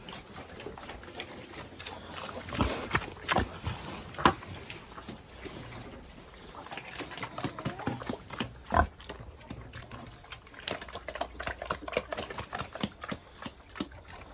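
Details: Pigs on a farm calling out during feeding chores: short, rough grunts and snorts come in irregular bursts, louder around the middle, over steady clattering and knocking from the pen.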